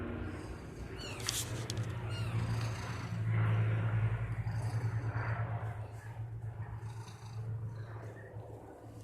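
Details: House cat making weird noises: a loud, steady, deep purr rumbles throughout, with a brief higher squeak near the start.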